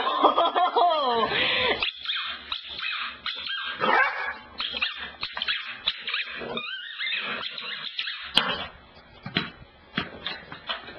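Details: Female pet dog Cassidy by the couch, asked to bring the ball; opens with a loud wavering whine that bends up and down, followed by choppy yips and grumbles and a sharp click near the end.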